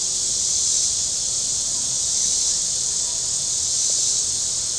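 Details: Shore cicadas at Table Rock Lake in southern Missouri on a very warm Saturday give a continuous shrill, sizzling drone, gently rising and falling in strength, over a faint low rumble.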